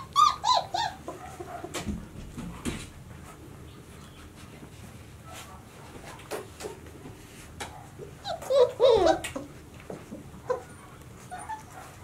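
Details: White Swiss Shepherd puppies, 26 days old, from the 2019 litter of Sienna and Valentino. A few short, high whines come at the start, then a quiet stretch, then a brief cluster of squeaky whimpers near the end.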